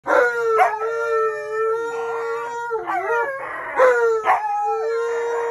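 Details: Siberian Huskies demanding biscuits at a bank, giving long drawn-out howls that hold steady then bend and dip, with rich stacked harmonics and brief breaks between yodel-like phrases.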